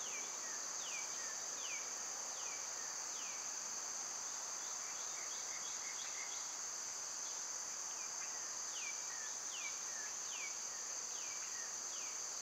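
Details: Summer cicada chorus forming a continuous shrill hum, with a bird's quick downward-sweeping chirps repeated every half second or so over it.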